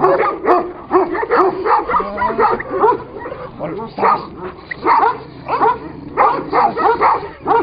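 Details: ['Fighting Kangal shepherd dogs: clustered rough barks and snarls in quick bursts, with a low steady hum running underneath.']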